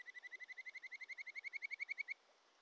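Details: Wild Japanese stream frog (Kajika frog) singing by a Shin'etsu mountain stream, Japan, in early July: about twenty clear, bright pulsed notes in an even, rapid series that swells in volume, then stops abruptly, leaving faint water rush.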